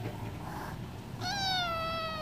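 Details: Hungry stray cat near wet food: a quiet pause, then a single clear meow that starts abruptly and drifts gently lower to the end.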